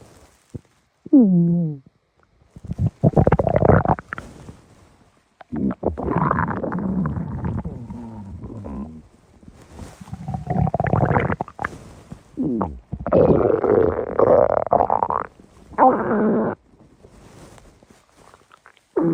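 A blue fox's stomach growls in loud, gurgling rumbles that come and go in uneven bursts.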